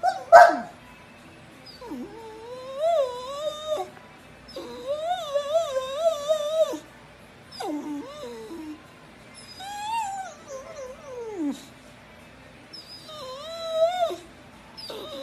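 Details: Pet dog giving a series of drawn-out whining howls, each one to two seconds long, bending and wavering in pitch, some sliding downward, separated by short quiet gaps.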